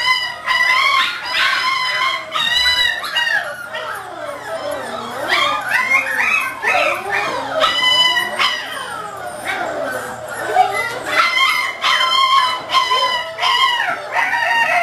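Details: Six-week-old English Springer Spaniel puppies in obedience training: a continuous chorus of high, wavering whines, yelps and squeaky yips, many sliding up and down in pitch, several pups overlapping with barely a pause.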